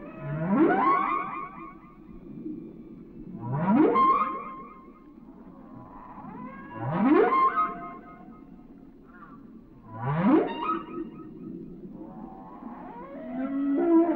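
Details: Whale song: a series of upsweeping whoops, each climbing from low to high with harmonic overtones, recurring about every three seconds over low rumbling water noise.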